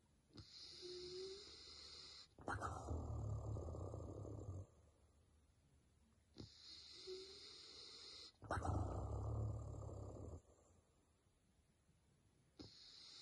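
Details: A male Basset Hound in deep sleep snores in deep, rumbling bursts about every six seconds, with quieter breaths between.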